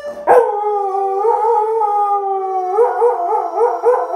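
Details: A Siberian Husky in Arizona howls in wavering, drawn-out notes, responding to sustained accordion chords played by its owner, who has not yet learned the instrument.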